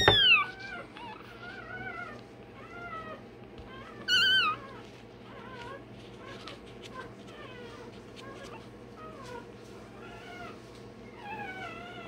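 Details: One-day-old Rottweiler puppy during tail and dewclaw removal. A loud sweeping squeal opens, then a strong shrill cry follows. Repeated short bending whines continue, roughly every few seconds, over a constant low hum.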